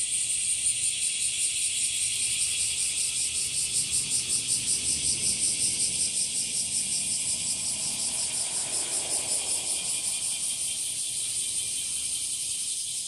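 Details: Washiwashi, the bear cicada of Japan, heard from trees and grass: a sustained piercing metallic chorus pulsing about three times a second, fading slightly over the final seconds, with low background rumble.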